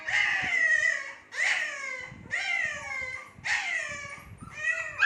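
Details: Shih Tzu puppies about two months old give high, falling whines in a steady series, each about a second long.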